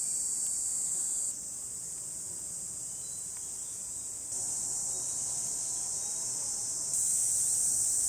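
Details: Summer cicadas in rural Hiroshima Prefecture, Japan, July 2021, singing in the heat: a continuous shrill, hissing chorus whose loudness shifts abruptly between a few levels, with a faint low whine in the middle section.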